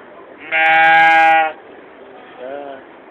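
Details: Goat at the 2015 Georgetown fair in Illinois, kept in the stables, gives a loud, sustained nasal bleat of about a second, then a short, softer bleat follows over a low murmur of voices.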